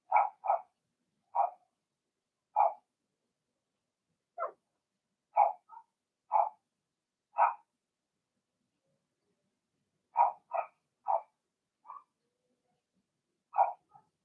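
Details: Six-puppy Blenheim Cavalier King Charles Spaniel litter in its indoor pen, sharp high-pitched puppy barks, loud and clipped, in clusters separated by brief pauses, some in quick pairs, a softer whine near the end; otherwise quiet.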